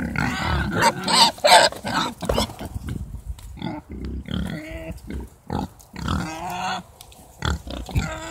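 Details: Herd of Mangalica pigs at a Hungarian garden nursery, mixing harsh grunts with higher, tonal squeals in irregular rapid bursts, about three a second, several animals calling over one another.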